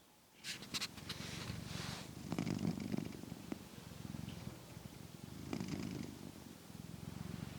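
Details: A male pet cat sleeps indoors, recorded with new RØDE microphones; low, rumbling, purr-like snoring runs throughout, swelling into louder breaths around the middle and near the end, with a few light clicks above.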